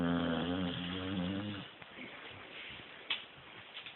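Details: Sleeping puppy Lucy, filmed on an Android phone, snores once in a drawn-out, wavering, buzzy breath, then the room falls quiet apart from a few small taps.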